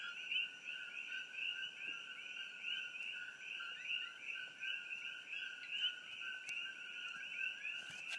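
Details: Coqui frog chorus, a Caribbean species now widespread in Hawaii, heard near Hilo along Old Mamalahoa Highway with an iPhone. Overlapping callers give continuous two-note calls, a low note then a rising high chirp, with faint clicks.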